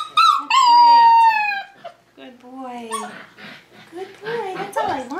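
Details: Tamaskan Dog puppies, five weeks old, during the Puppy Culture box game: a loud, long, steady whine that sags slightly in pitch, followed by shorter falling and wavering whimpers.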